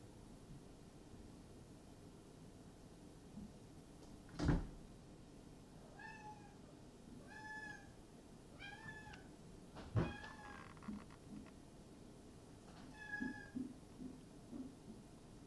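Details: A Maine coon cat at a breeding cattery in Tokyo, Japan, indoors; about five soft, short, tonal meows spaced a second or two apart, between two sharp knocks, in a quiet room.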